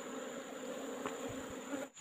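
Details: Asian honey bees buzzing in a wild nest inside a rock hole during afternoon collection: an even, humming drone with faint rustling, dropping briefly at the very end.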